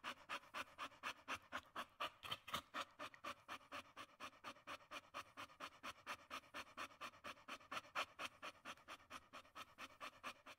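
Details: Indoors, a female Staffordshire Terrier pants fast and evenly, about four or five airy, rasping huffs a second, with slight hints of vocal whimpering.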